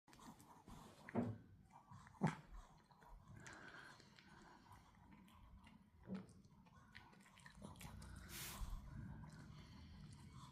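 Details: Pomeranian puppy chewing on a dog chew indoors: irregular crunching and clicking bites, with sharper snaps near one and two seconds and softer gnawing between, in a small quiet room.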